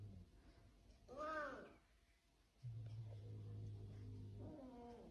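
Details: House cat indoors with a short arched meow rising and falling in pitch, followed a few seconds later by a second softer meow, with a steady low hum between the calls.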